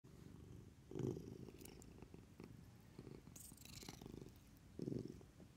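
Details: A Maine Coon cat hiccups in the morning, giving short, low, soft jolts spaced a second or so apart.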